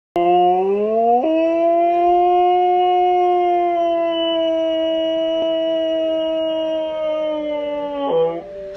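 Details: Siberian husky howling: one long sustained howl, rising at first, with a brief step up after about a second, then held steady and even for about seven seconds before breaking off.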